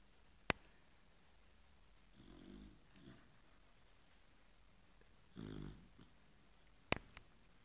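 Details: A female Chow Chow, asleep after an afternoon of play, snores very loudly. Each breath is a low, raspy half-second rattle, two snores three seconds apart amid handling clicks, and the owner says she seems to struggle to breathe.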